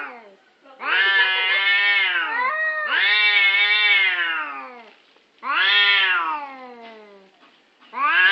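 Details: Orange cats quarrelling over a parking spot, giving loud drawn-out wavering yowls, three long howls that swell and bend in pitch, one blending into the next, with brief quiet gaps.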